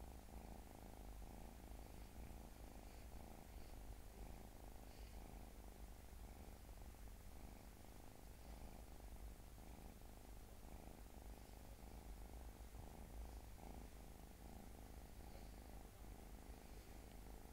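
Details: A small domestic cat purring steadily: a low, continuous rumbling throb with fine rapid pulsing that holds even throughout, with no other clear sounds.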